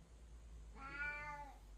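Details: Orange father cat arguing with another cat indoors, no one hurt: a single drawn-out harmonic meow rising then falling, about one second long, with low room hum underneath.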